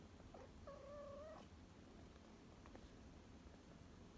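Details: Rescued cat indoors, one of two at home, giving a single level, drawn-out tonal meow lasting under a second, followed by quiet room noise and faint clicks.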